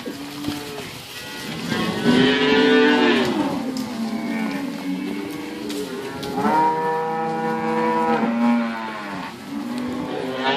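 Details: Cows at Inverland and La Florida, several lowing in overlapping bouts: long harmonic moos that rise then sag, some drawn out for over a second, with a brief quieter gap before another cluster of calls.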